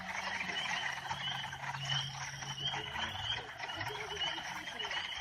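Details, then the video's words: Northern spring peepers in full chorus, sharp high peeps sliding upward and repeating densely, backed by scattered lower croaks and a low steady drone. "Sounds of Northern Spring Peeper Frogs"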